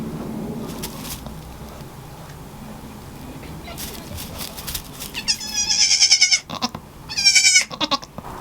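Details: Newborn goat kids, just born to the family's nanny goat, give two high, quavering bleats in the last three seconds, each about a second long and wavering in pitch. Quieter rustling and handling noises come before them.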